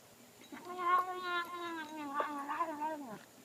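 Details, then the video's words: A domestic cat named Sophie eating and murmuring at the same time: one continuous, rich, slightly wavering moan lasting about two and a half seconds, with soft clicks from the food mixed in. "Cat makes noises while eating"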